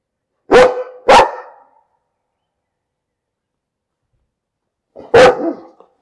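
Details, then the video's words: Dog barking: two sharp, loud barks about half a second apart, then a long silence and a single further bark near the end, each bark a broad burst with echoing tails. "Bellender Hund - Hunde bellen"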